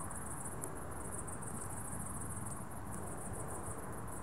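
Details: Crickets at dusk give rapid, high-pitched pulsed chirps in a continuous even rhythm above a steady low-frequency background rumble.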